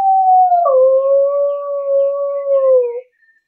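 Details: English beagle on a walk in a city park gives a long steady howl, a prolonged woo that dips slightly after the start, then holds an even pitch for about three seconds before breaking off.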